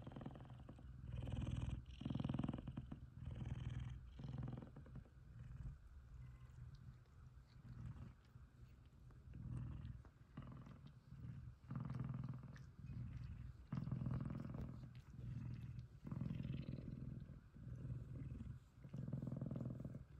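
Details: Two male F2 Savannah cats cuddling and purring steadily, one purring loudly, in a deep rhythmic rumble that pulses in and out with each breath.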